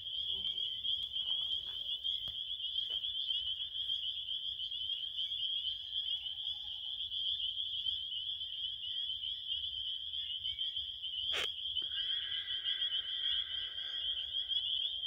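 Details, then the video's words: Continuous high cricket chirping fills the scene. A sudden sharp click lands partway through, after which a second, slightly lower buzzy trill joins the steady shrill chorus. "7 minutes of relaxing crickets"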